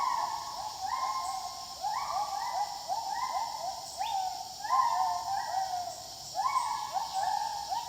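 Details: A chorus of wild gibbons: loud, rising hoots tumble over one another in fast sequence. One climbing note rings higher midway, and insects drone steadily in the background.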